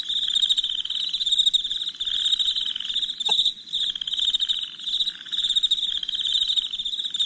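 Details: Crickets trilling through the night, a steady high, rapidly pulsed chorus with gentle rises and dips, broken once midway by a brief sharp click.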